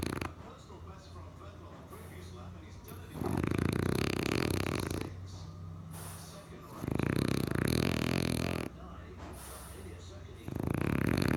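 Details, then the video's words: A sleeping, dreaming French Bulldog snores in long, rough, rasping breaths that swell and fade about every three seconds. "French bulldog snoring and dreaming"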